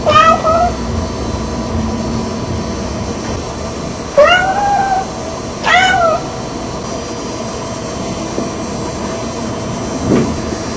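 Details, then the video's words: Red Tabby Persian cat Lucy, impatient in the mornings, meows to wake her owners from bed in a daily ritual; three loud bending meows in the first six seconds, then quieter, over steady room hum. "Lucy The Talking Cat"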